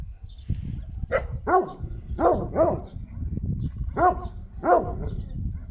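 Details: A Šarplaninac barking in uneven bursts, often in doubled barks, over a steady low rumbling background noise.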